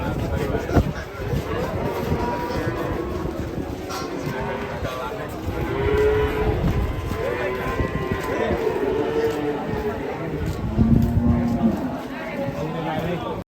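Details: Angry cattle unloaded from a truck in Indonesia, among dwarf, Belgian Blue and Brahman types; a series of long, wavering harmonic moos over about thirteen seconds, with handlers' voices and background noise.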